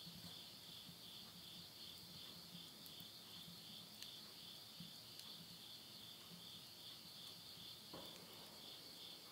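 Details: A midnight insect chorus in the Japanese countryside of Tottori, late summer 2020: an unbroken, high, even trilling drone, joined by a few sharp snaps of burning wood in a stove.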